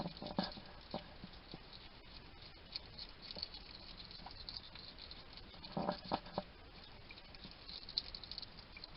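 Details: Little wild hedgehog feeding in a Somerset garden, UK, on trail cam, muttering to himself as he eats: irregular clicking crunches with two denser chattering bursts, one near the start and one in the middle.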